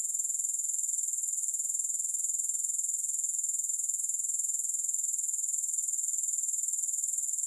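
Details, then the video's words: Grasshoppers produce a constant, high, hissing chirr that pulses quickly and regularly without a break. No music or background sounds accompany it. "Grass Hopper Sounds"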